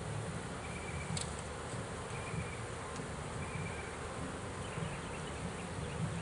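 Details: A captured honey bee swarm being removed from a swarm trap gives a continuous deep droning buzz, even in loudness, with brief faint high chirps and a soft click heard now and then.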